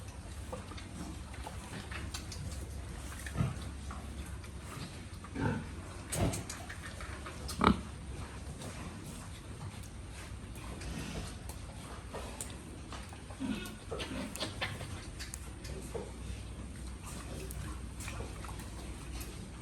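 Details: Farmed pigs grunt low and irregularly, with a few sharper louder bursts spread through the clip over a constant low-pitched background drone.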